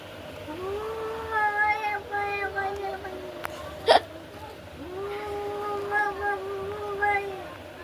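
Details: Domestic cats fighting: two long, drawn-out moaning yowls with strong harmonics, each held steady for about two seconds and sliding slightly at the ends, separated by a pause with a sharp click; faint background hiss.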